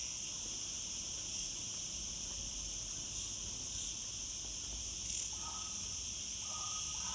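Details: Throngs of cicadas in a Gozo villa garden produce a continuous, piercing, high-pitched drone throughout, with faint human voices briefly audible in the background.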